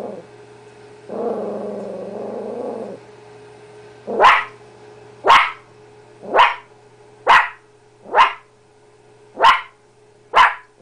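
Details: Blue heeler–chihuahua mix dog Miracle discovering her reflection: a low growl leads into a run of seven sharp barks spaced roughly a second apart, over a faint constant hum.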